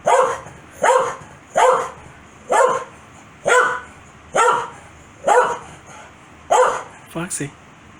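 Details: Pet Corgi named Foxy gets very mad when its owner sneezes, answering with single loud barks spaced about every second, eight in a row, ending in a quick double yip; a voice speaks her name.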